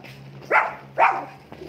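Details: Dogs in a commotion between mini Dobermans and Shih Tzus: two loud, sharp barks half a second apart, then a fainter third yelp, over a steady low hum indoors.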